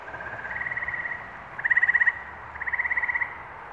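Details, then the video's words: New England frog song from May 11, 2023: three rapid pulsed trills follow one another within four seconds, the middle one loudest and sharply beaded, set against a softer continuous chorus. "Frog Songs - New England, May, 2023"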